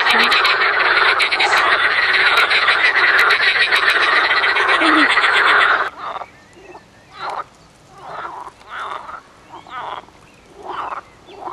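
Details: Frogs croak in a loud, dense rattling chorus that cuts off abruptly near six seconds, leaving quieter separate bursts of croaks at intervals of roughly a second.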